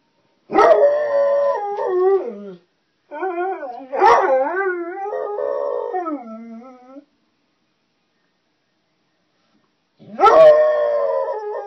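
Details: Hound dog singing along with an ice cream truck: three long, wavering howls with rich harmonics, each sliding and quavering before trailing off, separated by short silences.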